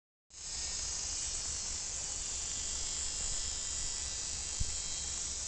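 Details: Cicadas buzzing all day at a campsite keep up a loud, steady, high buzzing drone without a break.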